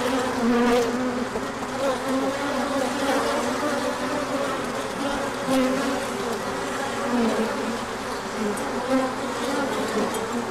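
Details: Many honeybees on a big orientation flight when the sun appears after a colder spell; continuous layered buzzing drone, with wavering tones as individual bees pass close by.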